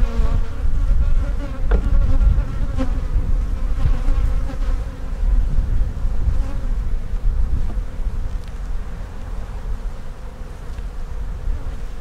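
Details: Loud, continuous deep buzzing of many honey bees at an opened hive being inspected for queen cells; an even drone with a steady tone, occasional taps from handling the frames.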